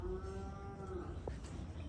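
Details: Bull cattle on a small farm, one of two bulls kept by a smallholder: a low, steady, droning moo held throughout, with a faint brief click partway through.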